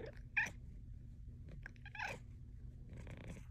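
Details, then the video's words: Female Bengal cat talking with her owner indoors: a sharp meow early on, a brief chirp, then a louder rising trill-meow around two seconds and softer murmured trilling toward the end, over a low room hum. "My cat talks to me. Compilation of cat chats."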